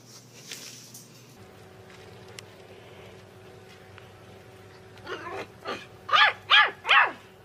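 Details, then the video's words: Puppy barking after about five seconds of quiet background hum: a quick run of five short, high, arched yaps, the last three loudest and evenly spaced. "Puppies Barking Compilation - Cute Dog Barking Videos"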